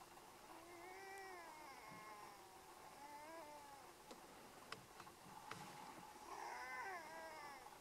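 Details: Two Canada lynx in the snowy Yukon trade drawn-out, wavering yowls while squabbling over dead meat buried in the snow.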